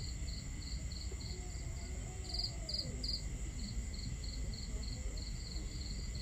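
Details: Night crickets beside a campsite give steady, evenly spaced chirps about three per second, with a louder, nearer run of chirps midway, above a dense low wash of fire crackle and water.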